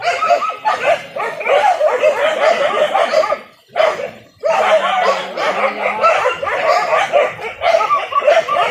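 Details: A pack of village dogs hunting wild boar, traditionally with dogs and spears, in Indonesia; frantic overlapping yelps and barks, a brief lull near three and a half seconds, a low hum underneath.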